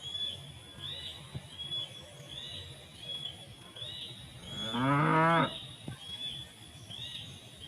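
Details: In a village rice field after harvest, a herd of tame cows feeds on rice straw, and one gives a single loud, drawn-out moo, calling its companions to come and feed.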